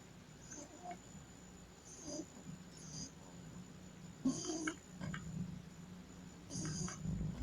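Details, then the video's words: Pug, a dog breed, snoring while asleep: rough, breathy snorts in short bursts, the loudest near the middle and end, over a low steady hum and a constant faint high whine. "Pug roncando mientras duerme"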